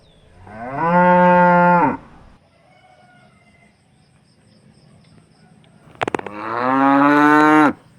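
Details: Calm cows on a farm in the morning; one gives two long, steady moos, the second rising and swelling louder before cutting off.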